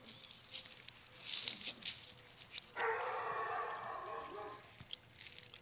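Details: Cavalier King Charles spaniel puppy playing chase indoors; after scattered light scuffs and clicks, a rough, drawn-out growling whine lasts about a second and a half mid-clip, then fades back into soft shuffling.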